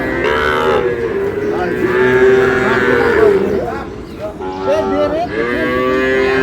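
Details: At Ambari cattle market, Dinajpur, Sahiwal breed bull calves are bought and sold on 11 May; several long, slightly bending moos with a gap midway rise over a busy crowd of bargaining voices.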